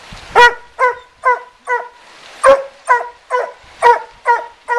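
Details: Hunting dogs treeing a raccoon in a den tree beside a river in Taylor County, Kentucky; loud, clear barks repeated about every half second, ten in a row, with one higher, rougher bark mid-run.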